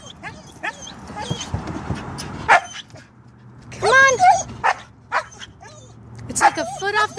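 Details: Siberian husky balking at leaping out of a car to the dog park: scattered yips and a few wavering, talkative whines between stretches of a man coaxing it to jump.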